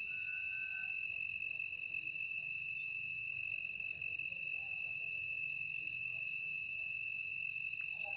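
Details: Insects heard after dark, steadily pulsing in a high, thin, metallic rhythm about two and a half beats per second above an unbroken shrill drone. The background is otherwise quiet.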